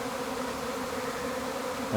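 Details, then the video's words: Honey bees swarming from a hive: a dense, steady droning hum with a low fundamental and layered overtones, even in loudness throughout, with a brief louder bump at the very end. "Bee Hive Swarming"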